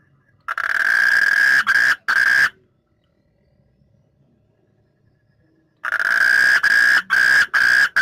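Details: Frog calling at night: loud, harsh, buzzy bursts about two seconds long, each broken by brief gaps, then about three seconds of near silence before another long rasping burst.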